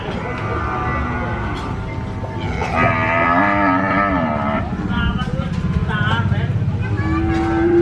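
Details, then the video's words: Cattle: one long, deep, harmonic moo lasting about two seconds in the middle. Constant broadband background noise and other overlapping sounds are present, possibly voices and traffic. "COW SOUND EFFECT"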